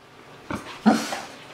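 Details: Alaskan Malamute talking back when told to roll over, indoors: two short, grumbling vocal bursts, the second louder, with quiet background between them.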